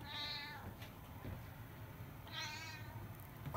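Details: Siamese cat named CoCo talking with its owner indoors; two soft, high harmonic meows, one at the start and another about two seconds later, over a quiet low hum.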